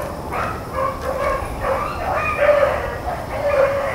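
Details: A pack of Blueticks and Blackcreeks trailing rabbits, recorded April 4, 2013, gives a steady chorus of tonal, drawn-out bays layered over one another, some notes bending slightly upward.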